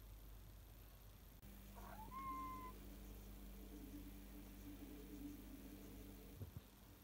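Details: Pet cat at home during an ordinary day: a single short meow, starting with a quick rising note and then held as a steady tone before fading, over a constant low hum; a clunk near the end.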